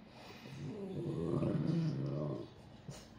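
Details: A French Bulldog complaining at New Year 'talks' in a low, wavering, groaning grumble while gradually approaching its owner.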